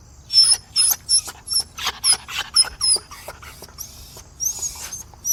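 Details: Begging dog giving a quick series of high, thin squeaks and whimpers, about two a second, with one drawn-out whine at the close.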